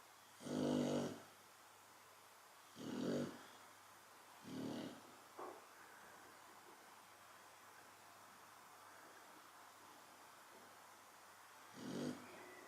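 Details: Asleep, a Chow Chow snores: a loud rattling breath, two softer ones and a brief snort in the first six seconds, then a long quiet stretch before one more snore near the end.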